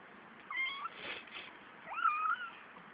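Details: Three-week-old kittens, a litter of five with two males and three females; two thin, high meows, the first short and flat, the second rising then wavering, about a second apart.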